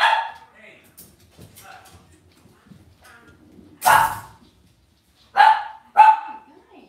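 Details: Young Cavalier King Charles Spaniels in an indoor puppy pen at home letting out sharp high yips, one near four seconds and a quick pair near the end, with softer murmurs in between.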